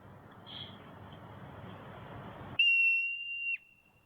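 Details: Marmot, a mammal of the squirrel family, giving a peculiar cry: one loud, steady, high, pure whistle held for about a second. It follows a few seconds of low background room noise.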